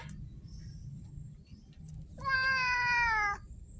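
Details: Abandoned street cat letting out one loud, sustained meow, steady in pitch and rich in harmonics, after a quiet stretch with low rumble and a faint high tone.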